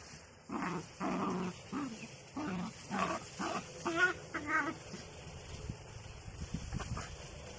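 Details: Playful miniature dachshund producing a run of short growly yips and whimpers in quick bursts over about five seconds, then only quiet background hiss.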